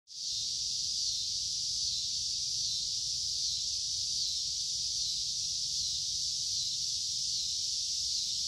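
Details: A cicada in summer gives a loud, unbroken high-pitched buzz that holds steady from start to finish.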